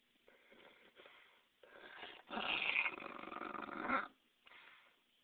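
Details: Audrey Hepbull, a female dog wanting her ball, gives a raspy, wheezing, dinosaur-like call: soft breathy huffs, then a louder rough rasp lasting almost two seconds, then a final soft breath.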